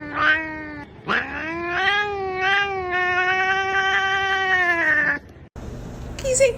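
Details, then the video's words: Domestic cat indoors making strange sounds: a short cry, then a long drawn-out wailing yowl that rises and holds steady for about four seconds before dropping off, followed by a person's voice. "The cat is making strange sounds"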